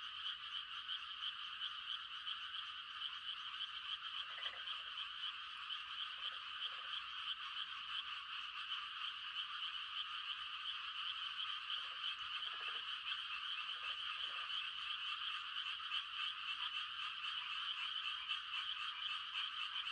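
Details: Frogs giving mating calls on a quiet country night in rice-planting season, a dense high trilling chorus with a few lower, short pulsed croaks from nearer frogs breaking through about six times.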